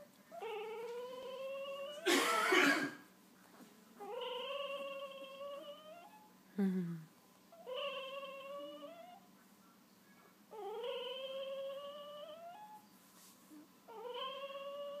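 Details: Two-week-old wolf hybrid puppies that have just opened their eyes give long, drawn-out harmonic whines. Each lasts over a second and sometimes rises slightly, repeated roughly every two to three seconds. A brief loud rustling burst comes early on.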